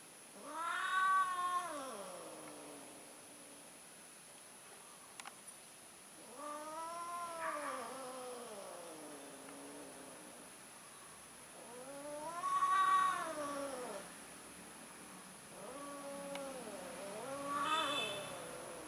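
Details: Mating domestic cats, an orange male trying again: loud harmonic caterwauls, each a rising-falling wail of one to two seconds, repeated roughly every five seconds with quieter moaning between.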